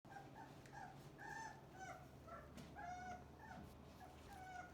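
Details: Cane Corso puppies, Didi's and Lexi's litter, piled together in one big heap after diving into breakfast, full and messy; many high, thin whines and squeals overlap, rising and falling around each other, over a low steady hum.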